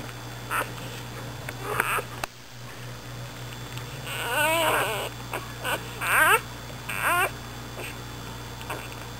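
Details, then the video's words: Dixie, an American Bulldog, has her nine pups overnight: newborn pups give rising, wavering squeals and short whines, several in quick succession, over a constant low background hum. "Dixie has her pups"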